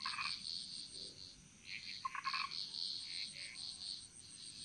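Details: Frogs singing in chorus in the Bali jungle, Indonesia: a steady high pulsing trill runs throughout, joined by short bursts of lower croaking notes in clusters around the middle, with a faint constant high insect whine.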